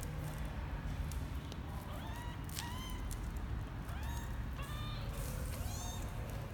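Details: Twelve-day-old kitten Misoka venturing out of his box for the first time, January 2020; high thin mews with harmonic stacks, about five short rising-falling calls in quick succession over a steady low hum and occasional clicks.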